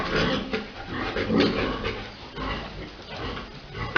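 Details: Big boar mating a sow during breeding at Dusama Farms; rough, low grunts come in uneven bursts, swelling and fading over a noisy barn background.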